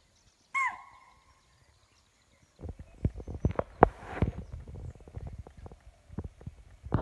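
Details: Spotted deer giving an alarm call on sensing a predator such as tiger or leopard, Pandharpauni, Tadoba Andhari Tiger Reserve, 9 November 2017, morning safari: one sharp, loud, high shriek with a quick falling tail, followed by rustling and knocking noises.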